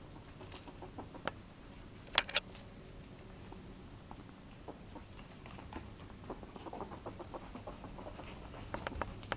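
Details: Domestic ferret in high excitement giving quiet 'pu pu' dooking: soft, rapid clucking pulses clustering toward the end, a sharp click near the start, against indoor scratching and patter.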